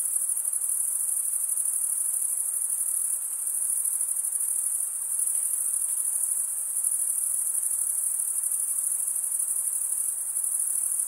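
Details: Chirping crickets form a constant piercing trill, rapid pulses blended into one steady high tone, with a few soft low murmurs near the end.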